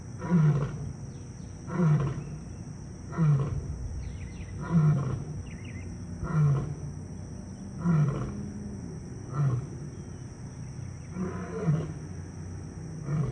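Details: A male African lion at a zoo, whose roars carried throughout the zoo, gives a series of deep, throaty grunting roars, repeated about every one and a half seconds.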